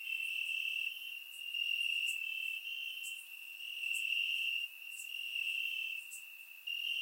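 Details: Night chorus of crickets in summer grass, Bulgaria, recorded in surround sound; a continuous shrill trill that rises and falls in volume, with short bright ticks scattered above it.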